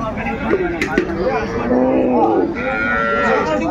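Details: Cows and calves at the Aftabganj livestock market in Dinajpur, Bangladesh, which is held on Saturdays and Tuesdays, recorded 12/2/25: low, drawn-out lowing moos rise through steady crowd chatter and market bustle.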